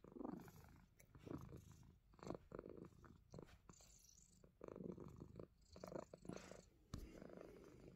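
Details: Himalayan Persian house cat nibbling fingers while purring; a rhythmic low rumble rising and falling in breathy pulses about once a second, with scratchy contact noises mixed in.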